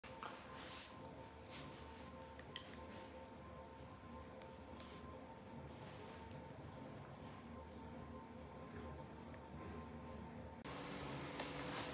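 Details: Quiet indoor background hum with faint tones and soft clicks, growing slightly louder near the end, and no animal calls.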